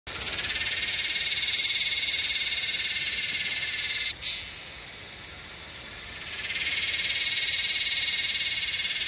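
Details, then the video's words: Yellowbelly cicada (Psaltoda harrisii) calling in Northern NSW, Australia, on 8/12/20: loud, dense high buzzing pulsed rapidly, a sharp break near four seconds, quieter hiss, then the full buzz returns. "Yellowbelly cicada call (Psaltoda harrisii)"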